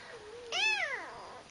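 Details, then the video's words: A pet cat, spoken to in a cooing voice just before, gives one clear meow of about a second. It is harmonic-rich and arches up then down in pitch, with a soft lower tone before it in a quiet indoor room. "Talking Kitty"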